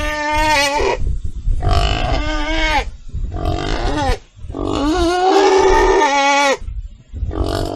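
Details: Loud, piercing pig squeals in bursts of about a second, rising and falling in pitch, one longer strained squeal climbing upward in the middle, low rumbling grunts between.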